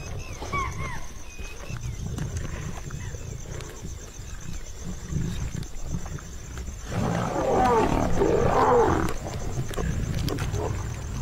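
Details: Asiatic lions of a pride with cubs in India's Gir Forest growl low and rumbling at a spotted deer kill, with a harsher snarling burst midway.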